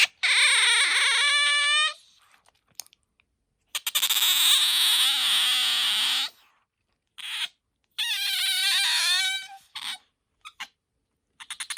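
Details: Pet otter Bingo, whose voice is higher than aquarium otters'; three long, shrill, wavering squeals of about two seconds each, separated by silent gaps, with a few faint short squeaks at the end.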